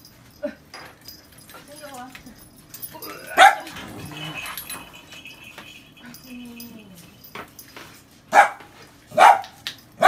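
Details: Female white Shiba Inu at home in Taiwan scolding a newly arrived visitor; scattered loud barks, three in quick succession near the end, separated by quieter stretches with a person talking and a soft whine.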